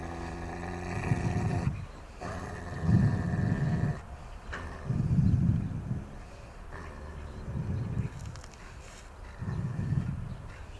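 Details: Aggressive, biting Akita Inu in re-education training, rated 6.5 out of 10 for social risk. It growls deep and rough in pulsed bursts about every two seconds, five or six in a row, with short pauses between.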